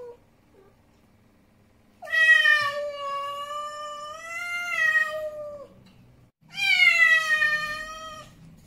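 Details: After a short quiet start, the angry male cat Snowy lets out a very long, sustained moaning yowl lasting over three seconds, then begins another loud, harmonic yowl; indoor setting.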